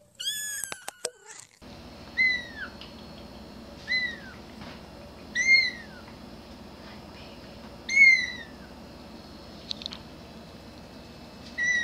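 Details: Kittens meowing: clear, high, descending mews with rich overtones, repeated about every one and a half to two seconds after a brief burst of sharper, higher squeaks at the start, over a low steady background hum.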